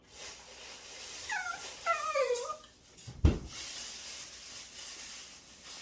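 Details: Cross dachshund complaining that warmed food is too hot. Brief run of high, wavering, descending whine notes, then a sharp thump, over steady room hiss.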